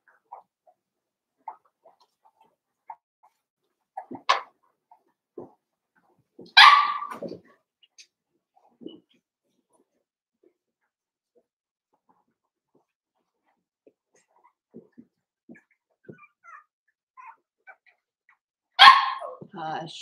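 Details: Mostly quiet indoor pen of five-week-old Cavalier King Charles Spaniel puppies, broken by a few sharp, high barks and yelps: one near four seconds, a longer one near seven, another at the end, plus faint soft clicks.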